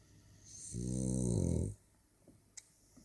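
A French Bulldog gives one deep, rattling snore with a hissy breath on top.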